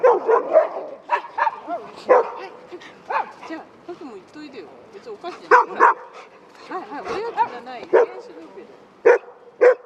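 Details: Several large dogs and a Shiba Inu with a dog walker at a dog run in Rotterdam, Netherlands, 5 March 2024; frequent overlapping barks and yips in irregular bursts, interspersed with whining, rising and falling vocal sounds and background voices.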